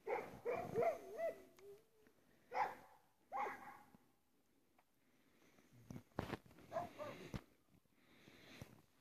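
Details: Russian Spaniel called Chara playing in the snow, digging out and eating snowballs; high wavering whines and yelps come in a burst at the start, then shorter whimpers near two to three seconds and again around seven seconds, with quiet gaps between.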